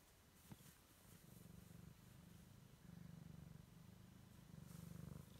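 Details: Siamese kitten exploring the world for the first time, purring steadily: a low rumbling band pulsing in quick regular cycles, with one soft click near the start and a faint background hiss.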